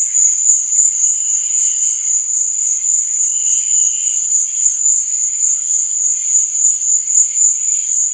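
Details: Crickets chirping at night, a steady, unbroken high-pitched shrill trill holding one thin tone throughout, with a fainter, lower buzzing that swells briefly now and then beneath it.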